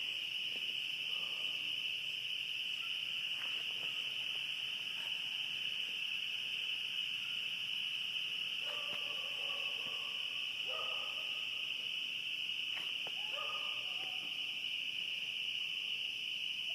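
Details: Spring peepers chorusing at night in spring in coastal southern Maine, reaching about 70 decibels and almost deafening. The sound is a dense, unbroken wall of shrill high peeps, with occasional lower, short stuttering calls breaking through.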